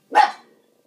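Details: Levi, a pet dog, barking at a dishwasher indoors: one sharp, loud bark that rises abruptly and fades within half a second, followed by quiet.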